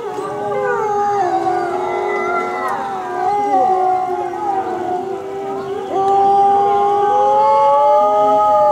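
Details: Several gray wolves (Canis lupus) at Asahiyama Zoo howl in chorus during the 16:30 park announcement on 29 May 2014, long smooth tones rising, falling and overlapping.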